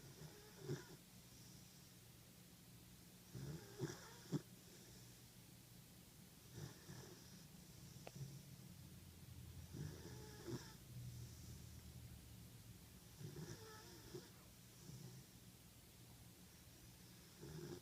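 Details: A 14-week-old German Shepherd puppy asleep in an office, snoring: soft, low, rasping breaths recurring every three seconds or so, over a steady low room hum.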